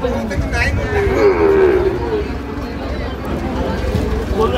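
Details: Sahiwal bull calf at a livestock market in Madaripur, Bangladesh, on 28 March 2025: one drawn-out, level moo lasting under a second, over steady crowd chatter and market noise.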